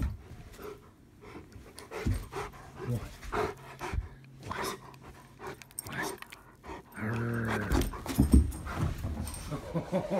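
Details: A Rottweiler playfully biting a person's arm gives low, rumbling growls and panting breaths, with a person talking nearby.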